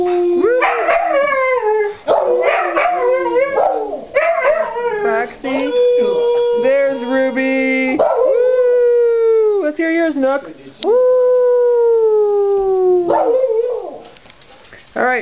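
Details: Group of pet Siberian Huskies singing a greeting howl; quick yipping, wavering notes give way to long, smooth, slightly falling howls held several seconds, two dogs overlapping in a chorus.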